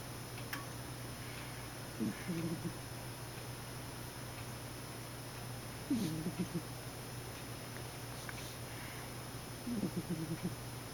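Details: A cat snoring in its sleep. Low, fluttering rasps come about every four seconds, three breaths in all, soft and throaty against a constant low electrical hum indoors.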